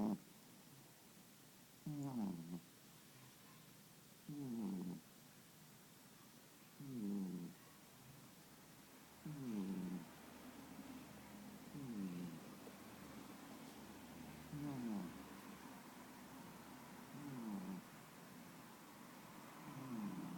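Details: A cat dozing at midday beside a companion cat gives rhythmic snorting snores, each a short low rasping burst repeated roughly every two to two and a half seconds, between quiet breaths.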